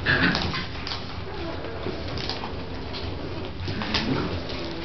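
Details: Bronx the dog at play with pups, soft high whimpers and brief yips half buried in constant rushing noise, a small squeak near the start.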